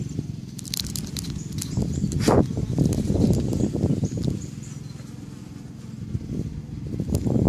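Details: Honeybees active outside backyard hives on May 1st 2013, some bringing in pollen: a dense low buzzing hum with passing louder wingbeat swells, plus faint outdoor rustling and clicks.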